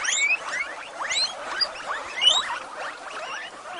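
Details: A group of female guinea pigs at Avalon Guinea Pig Rescue squealing at breakfast time, quick rising whistled calls tumbling over one another without pause.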